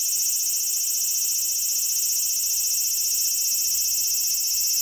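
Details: Japanese cicada singing along the Tokai Shizen Hodo hiking trail between Osaka and Tokyo: an intense, unbroken, very high-pitched metallic buzz that fills the whole stretch with little else audible.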